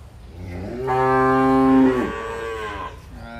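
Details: Dairy cow in El Salvador, a Gyr or Brown Swiss type, lowing once: a loud harmonic moo about one second long, rich in stacked overtones, steady then falling at the end, with quiet farm background before and after.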